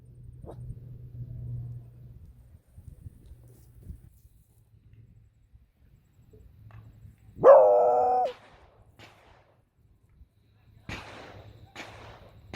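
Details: A female beagle, out walking near a hunting club's shooting range, reacts to the gunfire with one sustained, tonal howl lasting about a second, followed by several sharp cracks of distant shots.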